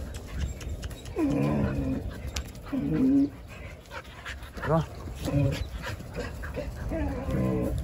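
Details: Jindo dogs on a winter Saturday morning in December, with their water frozen so they lick the ice. Short whining yelps, a few rising or falling, come at irregular intervals while a man talks in Korean close by.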